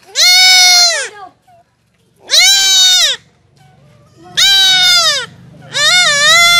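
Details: Castrated goat kid bleating: four strong, high, nasal cries about every one and a half seconds, each steady then falling at the end, over a faint low hum.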